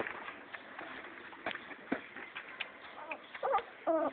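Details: Vizsla puppy giving two short, high, wavering whines in the last second, following a stretch of soft clicks and household clatter.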